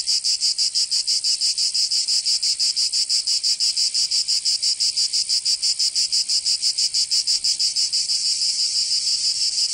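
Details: Cicadas singing in summer in Provence, southern France: a dense, continuous buzzing chorus pulsing rapidly, about three beats per second, steady and unbroken throughout, with no other sounds.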